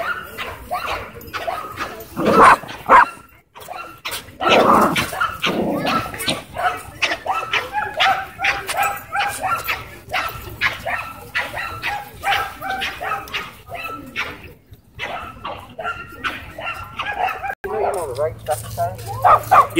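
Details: Dogs at a dog park, a Dwarf Staffordshire Terrier trying to boss an American Bully, with near-constant rapid barks, yips and harsh vocal bursts running through the whole stretch, mixed with some human talk in the background.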